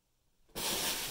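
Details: Cat hissing as new Bengal kittens are introduced to the household's adult cats indoors: after half a second of near silence, a sudden loud, harsh, breathy hiss bursts out and holds steady to the end.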